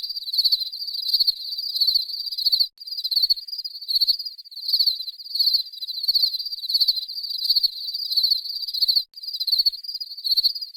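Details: Cricket song of rapid, bright pulsed chirps in rhythmic groups, rising and falling in loudness roughly twice a second, briefly cut by silent gaps, with nothing else audible.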